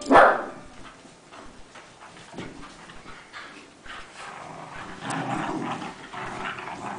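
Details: Playing Rat Terriers, a household pack of three plus littermates Oscar and Safari: a single loud, abrupt bark opens, then low rough grumbling and scuffling noises continue at moderate level.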